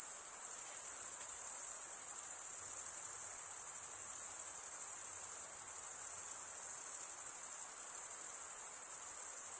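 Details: Crickets chirping by stridulation, rubbing one wing across the toothed vein of the other: a dense, very high, shimmering trill that runs unbroken and steady at even loudness, with no other sounds.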